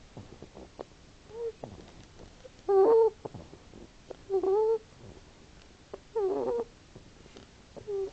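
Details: Snores from a sleeping hedgehog: short nasal, wavering squeaks about half a second long, spaced every one to two seconds, with faint snuffling breaths between them in a quiet setting.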